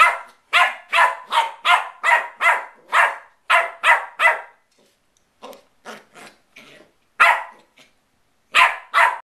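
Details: West Highland White Terrier puppy at play, firing off a fast series of shrill barks, then softer yips and a short whine before more barking resumes.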